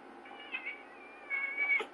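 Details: Domestic cat during a fight between two cats: a drawn-out, wavering meow with strained harmonics that swells in the second half, ending in a short sharp cry.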